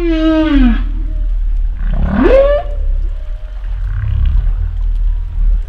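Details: Humpback whale phrase made of a bright, harmonic downward-sliding moan, a rising whoop that swings from deep to mid pitch, and a soft low grunt to close, all over continuous deep underwater rumble.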